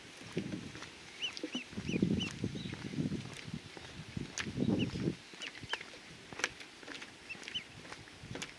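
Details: Ryukyu wild boar giving low, rough grunting bursts in several clusters of about half a second to a second each, while small birds chirp high and repeatedly in the background.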